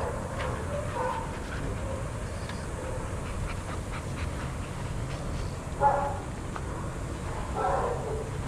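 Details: Adoptable shelter dogs playing and running together at a daycare; a few short, mid-pitched barks and whines stand out late in the clip, the loudest near the six-second mark, over a constant low rumble and scattered clicks and scuffles.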